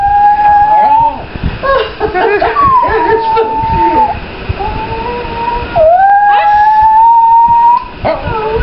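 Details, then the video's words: Howling at a passing police siren, Pablo the Chihuahua lets out drawn-out, quavering tones, some rising, some dipping, broken by short yips and whimpers, while a second dog copies him and a person speaks softly. "Pablo does not like police sirens"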